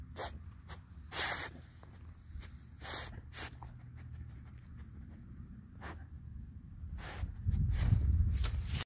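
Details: Beagle sniffing forcefully for treats: short, sharp, breathy snuffles come in quick irregular bursts, with low rumbling handling noise toward the end.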